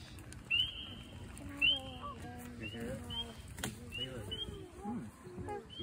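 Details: Spring peepers (Pseudacris crucifer) at Crosswinds Marsh, Southeast Michigan, usually the second frog heard there each spring, give high, clear, upward-slurred peeps, roughly one each second, with a person talking underneath.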